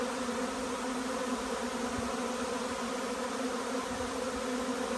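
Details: Arriving honey bee swarm, hot and humid balmy weather, chestnut in full flower; a constant dense buzz from a mass of flying bees, steady in level with a deep fundamental hum.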